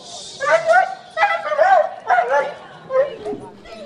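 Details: Pet dog, excited and hard to control, greeting its owner returning from abroad after a long time away; high whining yelps and yips come in several bursts under and between excited human voices.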